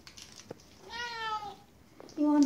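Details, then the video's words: Indoors, a Siberian cat asks for a treat stick with a clear, soft, slightly falling meow lasting under a second, followed by a woman coaxing it with talk of chocolate. "Funny Siberian cat meowing softly to get the 'chocolate' stick"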